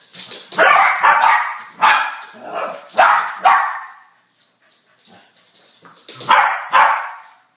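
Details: A Welsh Corgi with balloons barks in sharp, repeated bursts with a brief pause between volleys.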